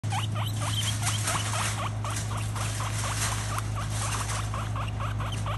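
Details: A single female pet guinea pig, described as very interactive. Short rising squeaks repeat quickly, about four a second, in an uneven run. A steady low hum sits underneath.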